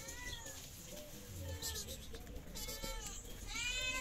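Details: Hungry stray cats on a Moroccan street, fed by a caretaker, give arched, harmonic meows about once a second, each bending up then down, over low street rumble and brief rustling.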